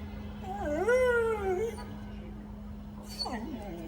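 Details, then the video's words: Dog howl answering a church bell: one short, wavering howl of about a second, then after a pause a faint falling whine, all over a constant low hum. "Собака воет на звук колокола"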